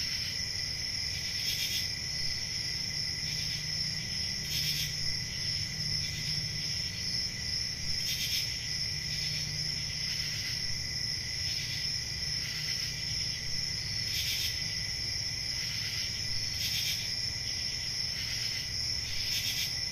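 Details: Country crickets on a summer night keep up a constant shrill high trill with a softer buzzing band below, broken by brief hissy pulses roughly every two seconds over a low rumble.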